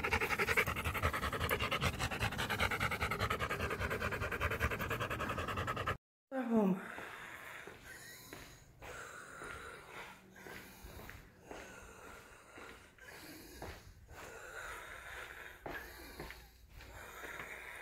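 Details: Rottweiler on a walk panting hard and quickly, roughly three breathy puffs a second, steady at first, then broken and looser after a brief cut, with faint room-like background.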